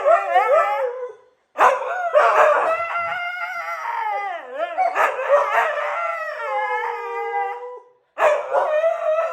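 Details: Siberian Huskies howling in a morning session, several wavering, overlapping voices rising and falling in long mournful howls with short yips, broken by two brief pauses.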